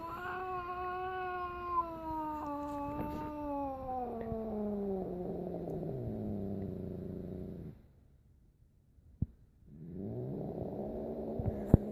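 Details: Indoors, Zoe the pet cat, distressed by another animal named Piper, gives a sustained tonal yowl that slowly slides downward into a rough low growl, pauses about two seconds, then growls again; a person murmurs to hush her.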